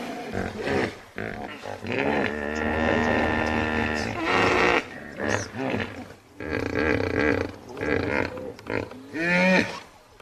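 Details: Loud hippopotamus bellowing and grunting: a sustained, richly harmonic drawn-out call, then choppy pulsed honks, ending with a short upward-sweeping wheezy note.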